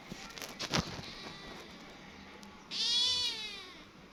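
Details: Small kitten hurrying over after its friend calls; handling clatter and taps first, then one loud, drawn-out, strongly harmonic meow that bends slightly downward and fades out.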